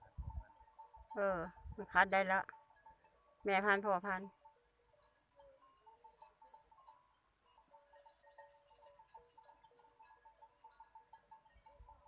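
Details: Water buffaloes filing into their evening pen on 6 June 2020: three quavering, bleat-like calls in the first four seconds, followed by a long stretch of faint clatter and a steady hum.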